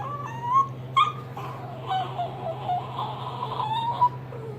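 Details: A young small tan and white Chihuahua, pestering an older Jack Russell/Rat Terrier mix during play, whines in high, wavering, nasal tones with short sharp yelps, over a steady low hum.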